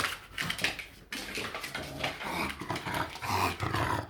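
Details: English Bulldog playing wildly on a couch, making strange gremlin-style sounds; continuous raspy snorts and throaty growls in irregular bursts indoors, without speech.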